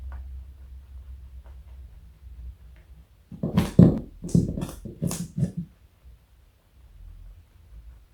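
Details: Joey, a large pet bunny weighing 4.6 kg, eats carrot in a small room; after three seconds of near silence, a burst of sharp crunching bites lasts about two and a half seconds before fading back to a low hum.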